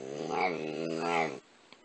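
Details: Charlie, a talkative pet dog indoors, answering a spoken 'I love you' with a low, throaty two-part moan-growl, rising slightly in each swell, like a dog trying to talk back, then falling quiet.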